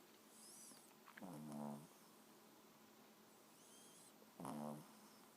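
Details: A 4-month-old Boston Terrier puppy snores quietly, with low rasping breaths about every three seconds.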